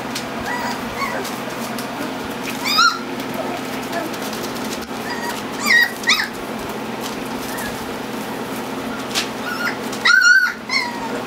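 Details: Four-week-old Standard Poodle puppies, a litter of eight black pups (four males, four females) born June 10th 2014, playing indoors. Short, high, squeaky whimpering yelps come near 3, 6 and 10 seconds over a steady room hum and light rustling.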